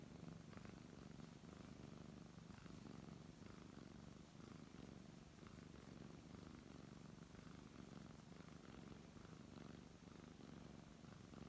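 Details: Contented brown tabby cat being stroked, giving an unbroken low rumbling purr across the whole stretch, breathing cycles faintly audible, light rustling of fur and hand.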